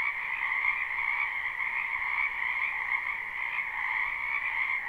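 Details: Wetland frogs croaking in spring, a live recording: dense, ceaseless trilling chorus with bright high notes over a lower pulsing layer, evenly loud throughout.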